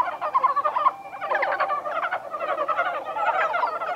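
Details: Japanese brown frogs at Kawaguchiko Field Center, Japan, on 1 March 2020: many males overlap in a dense chorus of rapid, chuckling clucks, a soft bubbling texture with a brief lull near one second.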